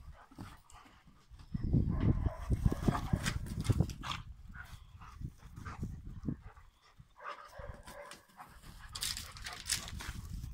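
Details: A pair of Rhodesian Ridgebacks at play, low rumbling growly vocal bursts dominating the middle section, mixed with breathy panting and scuffling, fading to lighter hisses toward the end.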